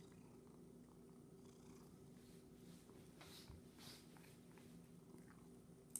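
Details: Rescued Domestic Shorthair cat purring while practicing tricks indoors: a soft, low, continuous rumble that stays steady throughout, with faint brief swishes partway through.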